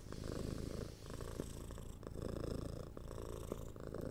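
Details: Close, steady purring from a six-month-old kitten being cuddled and scratched, a deep rumble pulsing through inhale and exhale cycles, with soft touching and rustling noises.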